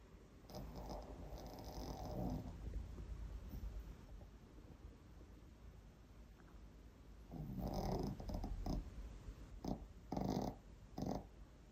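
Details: Elderly Maltese dog sound asleep at someone else's home, snoring: rough, breathy bursts from about 0.5 to 2.5 seconds and again near 8 seconds, then three short snorts close together near the end, in a quiet room.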